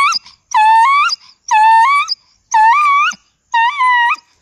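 A dog gives short, high, wavering howls, one about every second.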